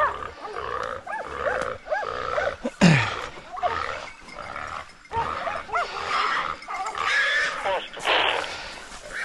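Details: Hunting dogs working a wild boar drive in Sicily give repeated short, arched, tonal yelping barks in quick bursts, with a sharp loud bang near the third second, another burst near the end, and faint human voices.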